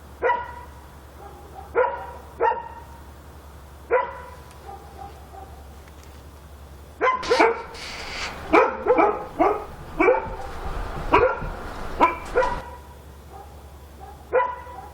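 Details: A dog barks at night in Korea; spaced single barks give way to a dense, excited volley of rapid barks in the middle before easing back to occasional ones, with a low background hum throughout.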